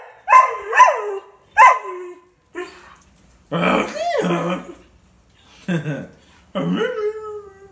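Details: Family's rescued greyhound giving three quick sliding yelps, then longer, lower, wavering howl notes separated by short silences.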